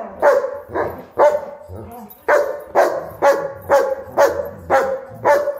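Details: Play fight between a German Shepherd and Huskies: a steady series of gruff barks, roughly two per second, each short and harmonically rich, with scuffling and low rumbling between them.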